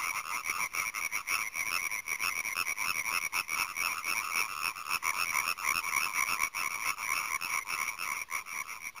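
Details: Hyla arborea, the European tree frog, croaking in a dense, rapid rattle several times per second, with faint high thin tones and occasional clicks in the background; captured with a Panasonic GH4 camera.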